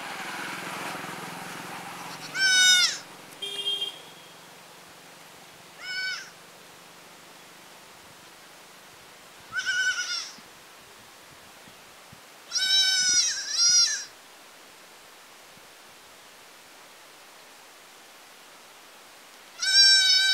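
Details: Goats in a village calling with several short, high, quavering bleats spaced irregularly over twenty seconds, some in quick pairs, with faint background noise between calls.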